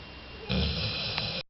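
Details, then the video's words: Jolly, a sleeping two-year-old female Labrador Retriever, starts a deep, rasping snore that rumbles on for about a second before cutting off abruptly. "ラブラドール ジョリ 大いびき"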